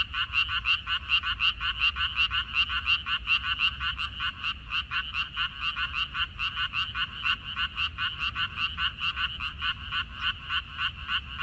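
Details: Several frogs chorus in a minari field in mid-May 2021. Pulsed croaks come in overlapping waves that rise and fall in loudness, forming a continuous rattling din over a faint rumble.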